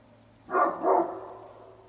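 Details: Domestic dog barking with no provocation or activity in the neighbourhood, part of about ten minutes of barking heard in late November at 9:30 am: two quick broadband barks close together, then a fading tail over a low steady hum.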